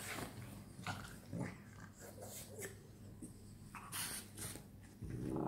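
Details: Several French Bulldogs playing together at night: low snorting, huffing breaths and short rough growls in quick irregular bursts, with scuffling noise throughout.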